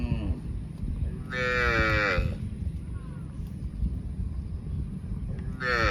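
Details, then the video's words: Cows mooing: a strong drawn-out moo near the start with a falling pitch, a brief moo just before it, and another beginning at the end over steady low rumbling background noise. "COWS MOOING - Funny Cow Sounds"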